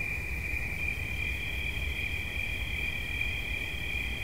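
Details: Steady high cricket trill for relaxation, joined after about a second by a second, slightly higher continuous trill, both running together over a low rumble.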